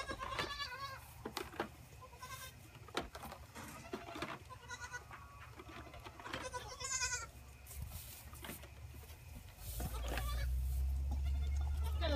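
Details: Several orphaned Boer goat kids fed from a wooden feeder holding six bottles, captured on an iPhone on a gate; scattered brief bleats and clatter, ending in a steady low rumbling hum.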